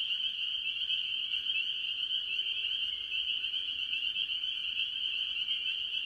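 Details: Farm pond in early year, many tree frogs calling, mostly spring peepers. Shrill, overlapping peeps form a dense, unwavering chorus. A faint low hum runs beneath part of the clip.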